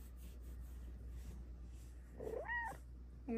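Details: A female Bengal cat in her cat cave gives a short, rising then falling meow, asking for cuddles.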